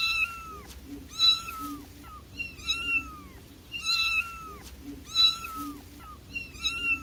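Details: Newborn baby kittens give a steady run of short, high, bent meows, roughly one each second. Squeaky overtones rise from each cry, with a soft hiss and hum in the background.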